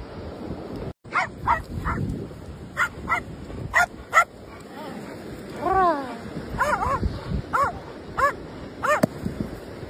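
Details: A German shepherd and a little dog at play in India: short sharp barks in scattered bursts, several yips and a brief wavering whine midway, with human voices and steady outdoor background noise.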